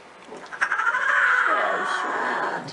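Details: Young lion cub giving a roar: a drawn-out, strained, wavering cry lasting about two seconds, rising quickly then holding steady, with a person asking "what was that" and laughter right afterward.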